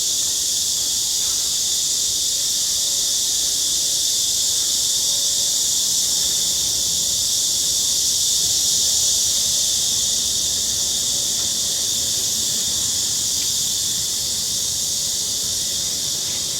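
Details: Cicadas sing in a steady chorus during a daily walk in hot summer weather, a high, hissing buzz that never lets up.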